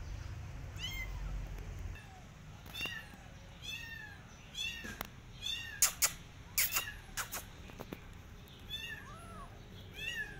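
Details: Persian cat and her adopted kittens walking in a garden while watching rabbits; a run of thin, high, down-slurred meows, some quick and overlapping, mixed with sharp clicks and taps and a low rumble early on.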